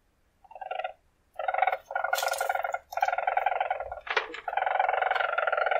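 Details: Weasel, a wild mustelid, producing a rapid buzzy trill in longer bursts with rich harmonics, one brief sharp squeak-like sweep cutting in near the fourth second.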